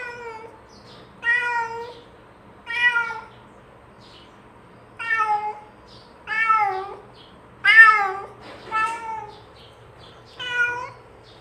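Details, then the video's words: Cat calling its companions to share a meal with a series of about eight clear, drawn-out meows at irregular intervals, some rising then falling, over a quiet low background hum. "SUARA KUCING MENGEONG MEMANGGIL TEMANNYA"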